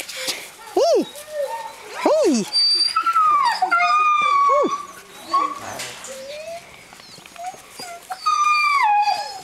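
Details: Three litters of seven-week-old Greenland Dog puppies romp together in a kennel yard in June. Arched high yelps come in quick pairs, then drawn-out falling whines, with chirps and rustling in the background.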